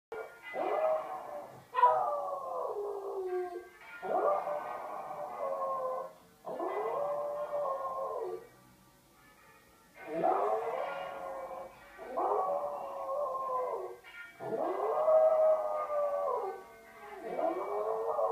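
An American Eskimo dog howls in long, wavering notes alongside ringing bells.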